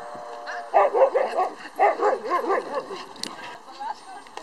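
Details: Huskies at a husky meeting in Naklo on 11 March 2012, giving a quick run of arched, yelping calls that rise and fall about twice a second for two seconds, with people talking in the background.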